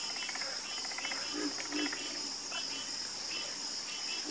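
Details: Frogs croaking together in a night chorus: short pulsed, rattling croaks in overlapping bursts, with a steady high insect hiss running underneath throughout.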